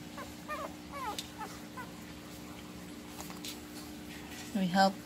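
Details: Two-week-old puppies, eyes still closed, being helped to breastfeed: thin, high squeaks sliding downward in quick bursts during the first second and a half, over a steady low hum, then a brief louder voiced sound near the end.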